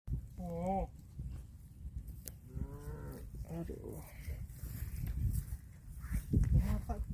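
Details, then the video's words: Cow mooing over a steady low rumble of background noise, with a couple of short wavering calls near the start and middle. "CUTE AND FUNNY COW SOUND VIDEOS COMPILATION"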